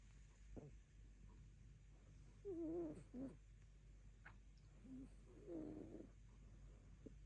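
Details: Dull afternoon, rescue cat dreaming in its sleep: thin wavering squeaky murmurs, one near the middle and a softer pair later, among faint rustles and clicks in a quiet indoor setting.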